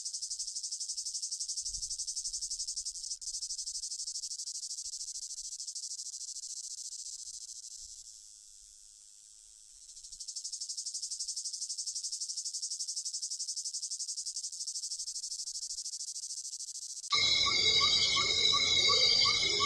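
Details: Cicada giving a dense, high buzzing drone with a fine rapid pulse, steady for about seven seconds, fading down briefly, then swelling back to full strength before the sound cuts abruptly to a different scene.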